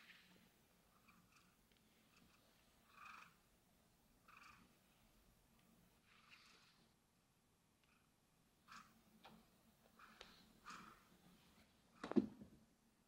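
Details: Domestic cat purring on a sunny day: a low, steady continuous hum runs throughout, overlaid by soft intermittent rustling bursts and a sharp knock near the end.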